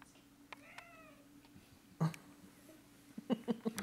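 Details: A female cat meowing: one faint drawn-out meow with a wavering tone near the start, then soft scattered sounds and a short run of quick, louder chirps toward the end, over a steady low hum.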